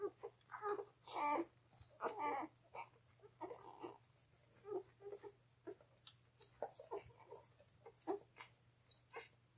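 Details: Three-day-old Gerberian Shepsky puppies, German Shepherd–Siberian Husky mix from a litter of twelve born June 21, 2021, nursing on their mother indoors; repeated high squeaky whines and whimpers in short bursts over a steady low hum.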